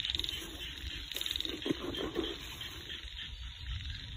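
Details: Frogs calling in an upcountry rice field: two short bursts of rapid, high clicking pulses, the first at the very start and the second about a second later, with a few low croaking notes in between over steady background hiss.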